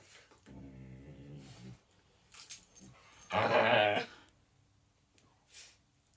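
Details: Pet dog making bovine-like noises: a low droning moan with stacked harmonics for over a second, then a louder, rougher, higher groaning burst around three to four seconds, with jangling and faint rustling.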